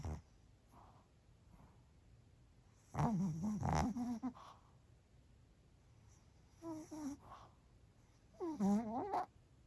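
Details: Pomeranian named Bochao snoring while asleep at lunchtime indoors: after near silence, three bursts of nasal, whiny snores with wavering tonal harmonics, each about a second long, the last rising and falling in pitch.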